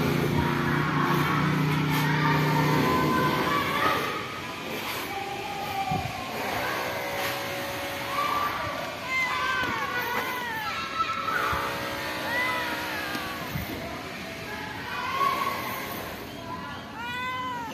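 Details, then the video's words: Kittens living at a pagoda meow toward a person while other cats sleep nearby; short arched meows rise and fall, several in quick succession and a final burst of repeated meows, over steady vehicle rumble and outdoor noise. "Cute Kittens Pagoda Meow Meow to me while other cats sleeping"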